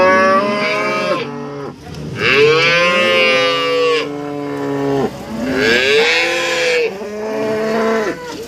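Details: Cows at an East Java cattle market in Nganjuk, where breeding cows and mothers with calves are traded, low repeatedly: four loud, drawn-out moos roughly every one and a half to two seconds, each swelling then dropping in pitch.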